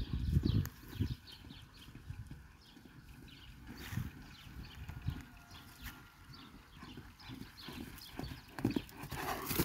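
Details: Kabardian stallion, born on the Atazhukino farm, giving sharp irregular clip-clop hoofbeats, with a few louder thuds near the start and end. A thin steady whistle-like tone runs faintly through the middle.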